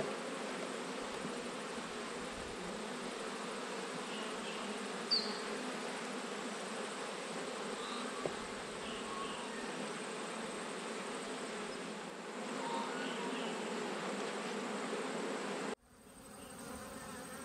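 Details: Honey bees droning around an opened hive during an autumn inspection in Australia, a long even hum with faint handling knocks, cutting abruptly near the end to a quieter hum.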